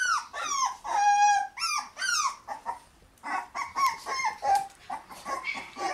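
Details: Puppies in their puppy room on May 20, becoming more lively; long, loud, tonal whines that slide downward and hold steady, then shorter overlapping whimpers and squeaks from more than one pup.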